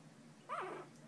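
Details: Newborn Shih Tzu puppy during bonding and play, giving a single short whimper: a thin harmonic whine that rises, arches and falls within half a second, over a quiet indoor background.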